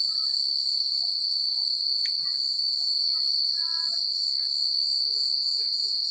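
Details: Crickets chirping at night in a secluded countryside setting, a steady, high, continuous shimmering trill with scattered faint, soft chirps beneath it.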